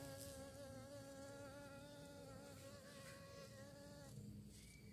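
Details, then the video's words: Bee searching for prey, a steady droning buzz with a strong even hum and stacked overtones holding level for four seconds, then dropping and shifting pitch at the end. "Lebah Mencari Mangsa, Suara Lebah"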